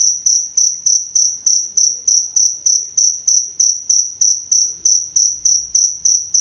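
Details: High, even chirps of a cricket used as a training and therapy sound for songbirds, repeated roughly three times a second in a regular rhythm over a quiet background.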